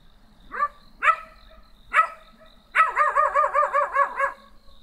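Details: Small black dog barking: a few sharp, separate barks, then a fast run of about eight clipped, evenly spaced barks in quick succession.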